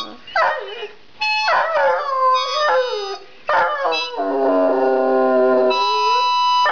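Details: Otis the hound dog singing: drawn-out, wavering howls that slide up and down, with long held notes near the end, mixed with tonal music in the background.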